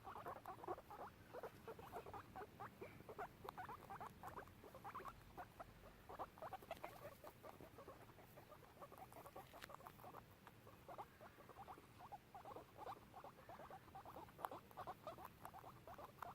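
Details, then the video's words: Two guinea pigs exploring a garden give a steady stream of short, rapid squeaks and chirps. "Squeaky guinea pigs making noises - Gingerandchutney"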